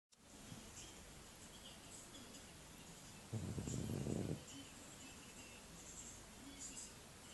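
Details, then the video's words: A French Bulldog snoring: one rough, low, breathy snore lasting about a second, rising out of a quiet room hiss and fading back to near silence. "bulldog français qui ronfle"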